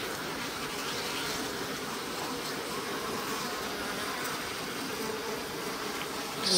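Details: Japanese honey bees in a stacked-box hive during spring, bottom board slid open: an even, dense buzzing drone of many bees, ending in a sudden louder scrape.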